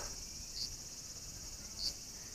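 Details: In summer heat around midday in green countryside near temples in Kyoto, Japan, cicadas keep up a steady, high, hissing drone with two brief sharper chirps on top.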